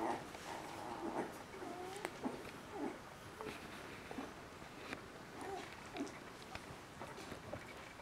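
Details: Three-week-old Border Collie puppies from a kennel litter, whimpering in short, squeaky bursts roughly once a second, some notes sliding upward, with faint rustling and clicks in a quiet indoor setting.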